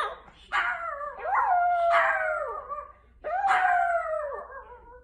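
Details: Dog howling in a compilation of funny dogs and puppies: three short howls, each with a sharp start and a descending, wavering tone, separated by brief quiet gaps.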